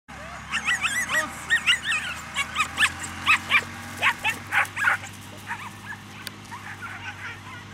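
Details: Female Whippets at a 2019 dog show, barking in a quick series of sharp, high yaps, roughly two per second and fading toward the end, over a steady low background hum.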